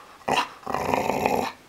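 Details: A female dog named Chomsky, trained on cue to growl rather than bark, lets out a short sharp vocal burst, then after a brief pause a loud sustained rough growl of about a second, close to the microphone in a small room.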